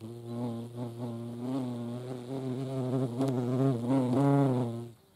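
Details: Flight buzz of a European hornet (Vespa crabro) at a feeding place, a deep humming drone that swells louder toward the end and bends slightly in pitch before cutting off.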